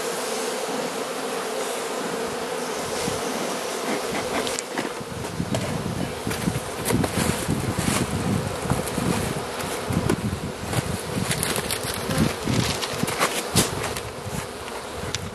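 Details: Carniolan honey bee hive in Southern Finland, opened for feeding by the Mountain Camp method on 16 March 2017 at +3 °C, queen present; steady low colony hum around a mid pitch, overlaid by crackling handling and rustling noises and soft thumps.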